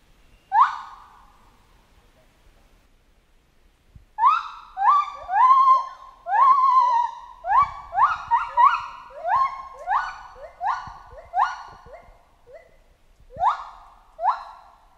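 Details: Chimpanzee in a jungle: one clear rising cry, then silence of a few seconds. A rapid, excited run of about fourteen ringing calls follows, each swooping up and then trailing off.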